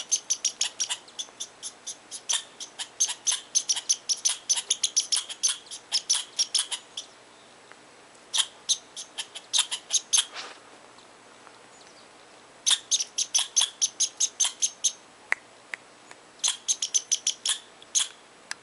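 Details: Squirrel in Tahosa Valley voicing disapproval of someone too near its tree. Bursts of fast, harsh clicking chips alternate with sparse single chips and short quiet gaps, then two more dense volleys close the stretch.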